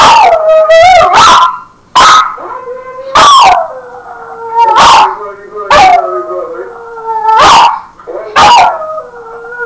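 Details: A household dog howls in response to an answering machine, giving a steady series of long wavering howls roughly every second, each sliding down in pitch with strong overtones, interspersed with short yelps.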